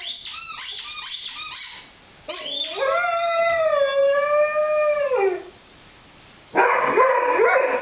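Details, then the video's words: Five-month-old Rhodesian Ridgeback Lyle howls along with his squeaky chicken toy: quick squeaky yelps, then one long, steady, rich howl lasting about three seconds that falls away at the end, followed by a burst of noisy squeaking. "Rhodesian Ridgeback Howling with squeaky toy"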